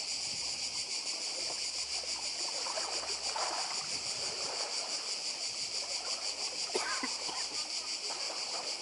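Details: Cicadas on Badija island in Croatia beside the sea, an unbroken shrill buzzing chorus pulsing evenly throughout, with splashing water and the murmur of waves beneath and a brief splash near the end.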